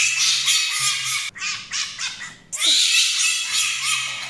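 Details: Djinn, a pet fennec fox, gives loud, harsh, screeching squawks high in pitch, in two long bursts split by a short gap, with a low steady hum beneath.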